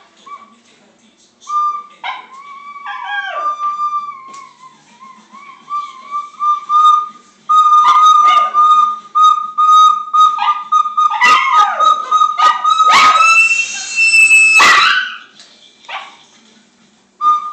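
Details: A dog singing: a long, wavering tonal howl that holds a steady pitch for several seconds, slides and wobbles, then breaks into louder, rougher bursts before trailing off, with some whistle-like and noisy sounds in the background.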